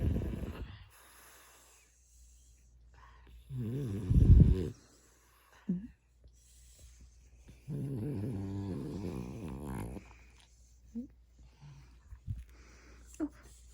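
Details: Sleeping pet dog named Mungchi, tickled on the soles of its paws indoors, lets out low snoring breaths and two drawn-out, wavering grumbling groans lasting about a second and two seconds, with quiet pauses between.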